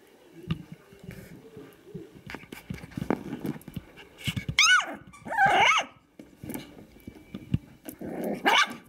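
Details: Five-week-old Kooikerhondje puppies goofing around together: soft scuffling and low growly noises build to a few sharp, high sliding yelps and whines in the middle and near the end.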